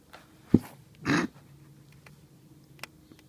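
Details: Ten-week-old female bulldog puppy playing outside with her water dish, trying to attack the grass beneath it; two short low grunting bursts, the second a rough half-second growl, with faint clicks and taps around them.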